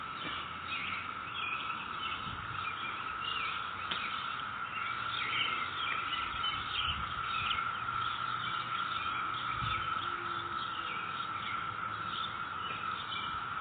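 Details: A dense chorus of cicadas in a neighbourhood on May 22, 2021 makes a steady, droning whine that never pauses.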